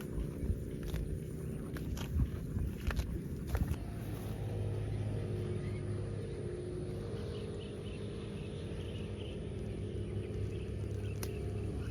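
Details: Low rumbling outdoor noise like a passing vehicle, with a few clicks and scuffs, and no clear animal calls.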